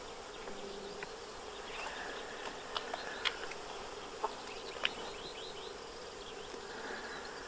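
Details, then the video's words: Eristalinus aeneus hoverflies, several individuals at a building facade in the Séné Nature Reserve, Morbihan, 20 February 2023 in winter: continuous even wing hum throughout, with scattered short bird chirps and ticks above it. "ÉRISTALE /Eristalinus aeneus/Hiver ! BRUITX"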